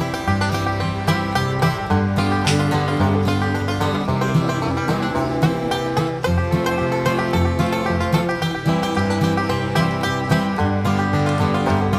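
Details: Lively bluegrass-style music with plucked banjo and guitar and a steady bass line throughout; no animal sound stands out.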